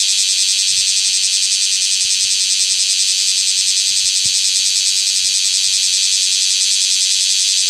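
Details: Male bear cicada in Osaka singing near its cast-off nymphal shell during the summer chorus season; a steady, piercing, rapidly pulsating buzz filling the whole recording.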